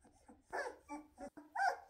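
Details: Weimaraner puppies, two and a half weeks old, eyes newly opened and walking fast, chasing their mother to nurse; short squeaky whimpers in three or four separate bursts, the last one highest and loudest.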